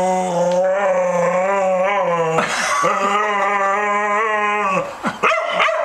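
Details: Two-year-old female Staffordshire Bull Terrier refusing her Sunday night bath indoors: two long, wavering, drawn-out howling whines with rich harmonics, the second rising sharply at its start, ending in short yelps.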